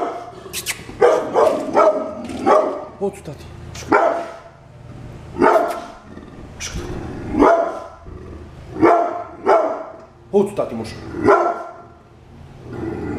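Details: Brindle pit bull kept as a guard dog, barking in loud, harsh bursts, about eleven barks over thirteen seconds, some coming in quick pairs, with people talking in the background.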